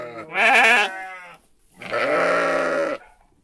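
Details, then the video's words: Sheep or lamb bleating twice: a wavering, quavering bleat lasting about half a second, then a steadier, longer bleat of about one second after a short pause. "Relaxing Sheep Sounds"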